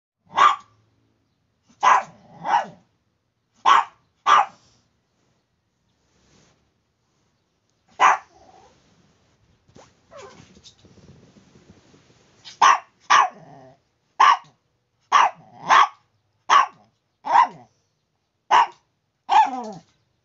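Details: Chihuahua barking in the morning, named as Bruno or Tiburcio: sharp high yaps in bursts, a pair near the start, a pause with faint rustling and a soft whine, then a rapid run of about a dozen barks ending in a whiny yelp.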